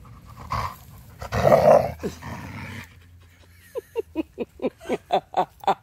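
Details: Female Siberian Husky grumbling while being petted because she is happy; rough low growling for about three seconds, then a quick regular series of short pulsed breaths or whines, around nine in a row.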